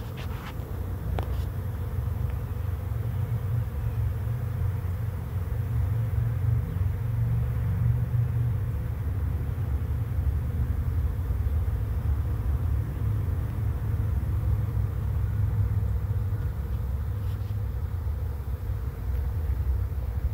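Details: Swarm of bees flying in to a swarm trap and piling in quickly, heard as a loud, continuous low-pitched drone that swells slightly in the middle, with a couple of faint clicks early on.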